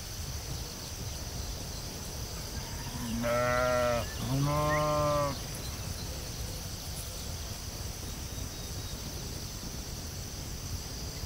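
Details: Sheep in a field giving two loud, wavering bleats in quick succession, each about a second long with rich harmonics, over a steady background of insect buzzing and low wind rumble.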